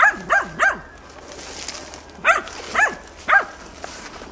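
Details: Hunting dog Tina stubbornly barking at young wild boar during training, 6 March 2013: three quick barks, a short pause, then three more, set against a soft outdoor hiss.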